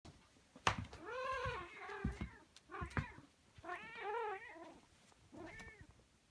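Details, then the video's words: Domestic cat making odd, warbling meow-like cries, four or five wavering calls that bend up and down, interspersed with sharp clicks and taps in a quiet indoor setting. "Weird Cat Making Weird Cat Noises"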